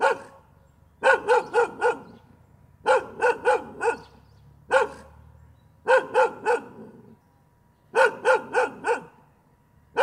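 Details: Barking dog giving repeated clusters of three or four quick, ringing barks separated by roughly one-second gaps, plus one isolated bark midway.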